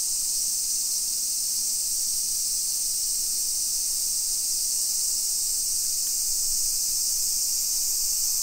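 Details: Cicadas in a modern suburban neighbourhood of Nisshin, Aichi Prefecture, Japan, on a summer afternoon, 28 July 2021. An unbroken shrill buzzing wall of sound fills the clip, even and constant, with very little else audible.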